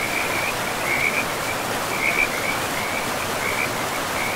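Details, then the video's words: Frogs by a forest river give short high trilled bursts roughly every second, some louder than others, set against a continuous hiss of rushing river water in a pristine woodland. "River and Frogs sleep sounds"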